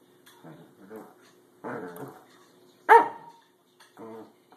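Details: Pembroke Welsh Corgi, a herding dog breed, playing with a door stop indoors; a few low grumbling growls and short rough barks, one sharp, louder yelp-like bark standing out, separated by brief pauses.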